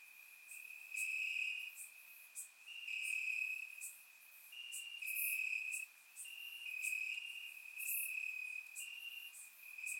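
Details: Crickets chirping in grass on a warm summer night in Bulgaria, captured with a surround microphone: a steady high trill holding one pitch, swelling into louder pulsing stretches about every two seconds, topped by brief sharper chirps.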